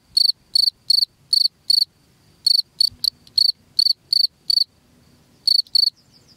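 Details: High, piercing chirps of a cricket, used as a rat repellent for the house, arrive in bursts of evenly spaced pulses separated by a couple of silent gaps, with a soft low hum underneath.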